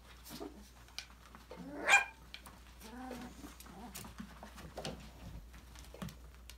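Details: Young Australian Labradoodle puppies at five weeks, from a December 2020 litter, playing in an enrichment playground; one loud squealing yelp early, then a softer whine and scattered small yips over rustling, tapping and a low hum.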